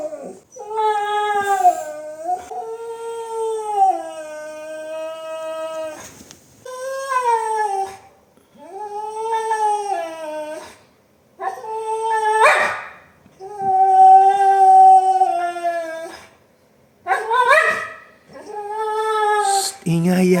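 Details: Indoor Siberian Husky protesting a new pet gate blocking the bedroom where it wants to sleep, giving a string of wavering howls and yowls, each one to three seconds long, bending up and down in pitch, with brief pauses between.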